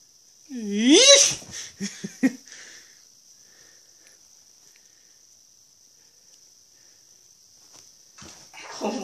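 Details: Female pet dog playing in the early morning: one loud harmonic whine that rises and falls over about a second, followed by a few short snorts and grunts, then quiet, with a steady high electrical tone throughout.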